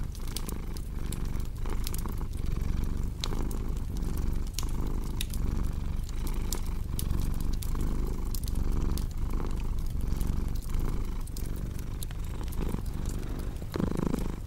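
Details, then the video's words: Domestic cat purring steadily for the whole stretch, a throaty low rumble throbbing with each breath, accompanied by a cozy crackling fire that gives off many crisp clicks and pops. "Purring Cat"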